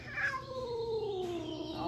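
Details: Domestic cat upset on first arriving in a room at a cat cafe; one long, drawn-out moaning yowl that starts higher and slowly slides downward for nearly two seconds, low room hum behind.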